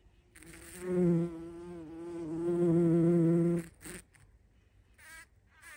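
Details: Bumblebee feeding, 14 June 2023, flying close: a strong, deep, even buzz rises around the first second, holds steady for nearly three seconds, then cuts off, leaving quiet rustles and brief clicks.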